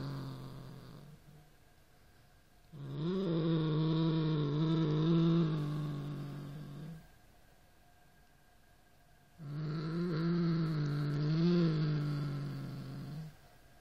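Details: Norrington, a Siamese cat, growling at a rat toy: two long, low, wavering growls of about three to four seconds each, separated by quiet pauses, with a steady buzzy tone under them.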